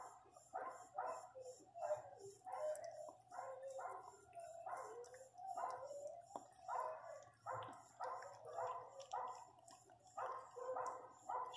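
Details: Pinscher cries right after the female Riqueza's first puppy is born: a long run of thin, high squeals and whines, repeated in uneven bursts about every second, with no talking over them.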